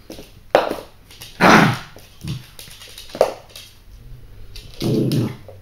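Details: A female Yorkshire Terrier puppy, 7 weeks old, gives short, high yips and whimpers in a small room.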